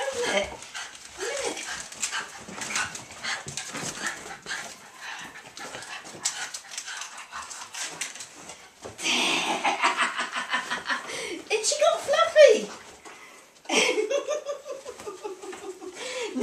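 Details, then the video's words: Two Norfolk Terriers, Ben and Poppy, greet their owner after she has been away for a week. High whining yelps and excited whimpers rise and fall in bursts, with rustling, footsteps and occasional human voices mixed in. "Norfolk terriers greeting Mum"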